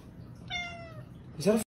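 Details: Domestic cat, part of a funny cat compilation, giving one brief meow that falls slightly in pitch, then a short loud burst of another sound at the end, in a quiet indoor room.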